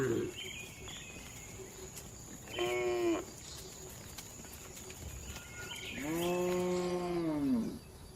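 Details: Dozens of tame cattle relaxing, eating and moving calmly inside a spacious farm barn; two clear moos, one short and one longer, drawn-out and slightly falling, over a steady background hum and faint barn noises.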